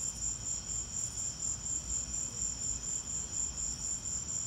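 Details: Cricket chorus in a lightning storm: a steady high trill pulsing roughly twice a second, very even, with low-frequency rumble beneath.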